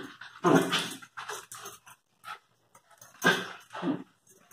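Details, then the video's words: Lakeland terrier and Airedale terrier puppies: a few short, rough yelps and whines in quick bursts, with brief gaps between them. "Filhotes terrier"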